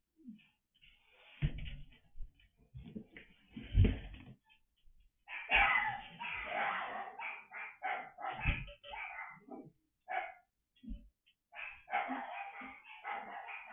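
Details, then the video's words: Dog barking in an indoor room while a pen is set up: irregular bursts of short, harsh barks with pauses between, handling clatter and a person's voice now and then. "Setting up Stormy Pen Ignore Barking LOL"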